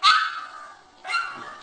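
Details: Two short, high-pitched puppy yips about a second apart, the first louder and sharper, the second softer, from a compilation of puppies barking and talking.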